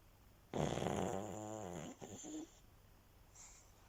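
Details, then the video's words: A pug sleeping indoors, resting: one loud rasping snore of about two seconds with a deep pulsing buzz, followed by a short snuffling breath, then quiet. "Спящий мопс Храп собаки"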